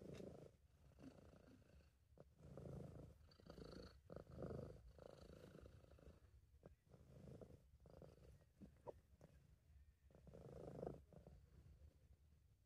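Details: Purring British Shorthair cat named Sub, relaxed and happy: a low, rumbling purr pulsing in steady breath cycles of inhale and exhale, with soft clicks at times and no other sounds.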